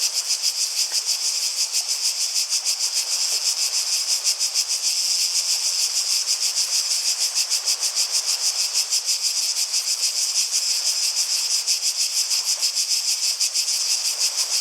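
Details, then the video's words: Chorus of cicadas, a dense shrill buzz throbbing in quick even pulses, unbroken for the whole stretch, with little else audible beneath it. "Relaxing Sounds of Cicadas"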